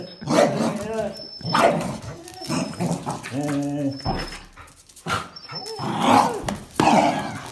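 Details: Playful dogs, a Jack Russell Terrier with a black-and-white and a red-and-white Border Collie, tugging at a towel; repeated sharp barks in bursts with a brief whine, while a person speaks between them.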